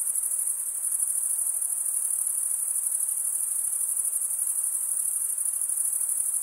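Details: Stridulating male crickets, sound made by drawing one wing over a serrated vein, give an even, shrill, high-frequency trill of fast pulses, constant throughout, with no other animals, voices or noise.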